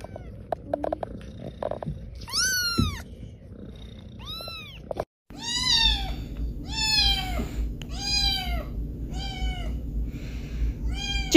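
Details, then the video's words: Kittens give a run of high, bending meows, first a single call and then a rapid series of about seven in the second half, with a soft low rumble underneath. "the kittens saying meow are so cute"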